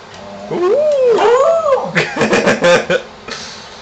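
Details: Howling from Shamus, a pet dog sounding off at a contractor in the neighborhood while his owner urges him on: a long wavering howl rising and dipping, then a burst of choppy yelping notes and human speech.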